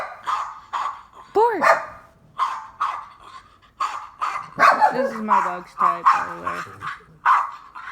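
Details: A female pet dog reacts to sound effects with a steady run of short, harsh barks roughly twice a second. A person's voice is mixed in, along with a brief rising and falling tonal effect.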